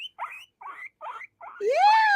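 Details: A new male pet guinea pig, sitting contentedly in his little bed, gives four short chirping squeaks, then a loud rising whistled squeal.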